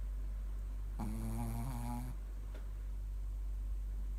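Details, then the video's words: A single drawn-out, low, rattling snore from Mylly, a Shih Tzu, lasting about a second, then quiet breathing in a still room. "Mylly snores"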